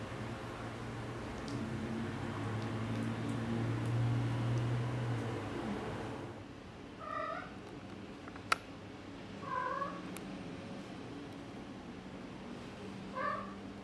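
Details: Four-week-old Exotic Shorthair kittens on a car ride: steady engine rumble fills the first six seconds, then three clear, high, harmonic meows follow at spaced intervals over quieter background hum.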